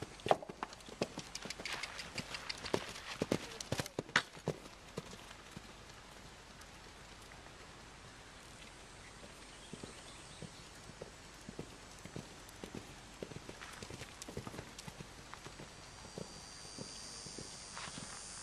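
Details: Hoofbeats of a seven-year-old male Belgian Draft and Quarter Horse cross, an experienced fox hunter standing 15.3 hands: sharp, loud clopping impacts through the first four seconds, then softer, regular steps continuing steadily to the end.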